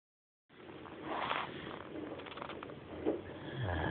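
A sleeping Great Dane gives a long, rasping snore, a coarse rumble of breath with a few soft rattles in it. Faint background noises mix in, but the dog's heavy breathing dominates.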